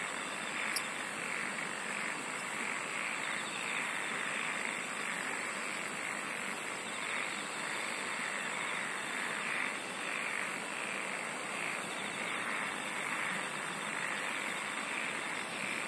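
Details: Steady insect chorus, an unbroken high-pitched hum layered over a rough, grainy buzz, with short trains of very high rapid pulses appearing every few seconds.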